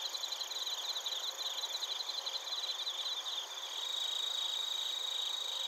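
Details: Bell crickets and crickets calling in Narita, Chiba, Japan, recorded with a TASCAM Portacapture X8. Fast stuttering high pulses for about three seconds give way to a smooth, sustained bell-like tone against a steady insect chorus.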